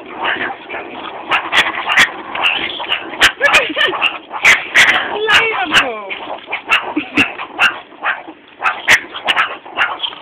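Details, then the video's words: Feeding time for captive meerkats at a college, mealworms offered in tubes; the animals give harsh, stuttering barks and grating growls in uneven bursts, amid human chatter and sharp clattering knocks. "Meerkats, feeding mealworms in tubes, soo funny as they growl,bark & get their head stuck in tubes!!"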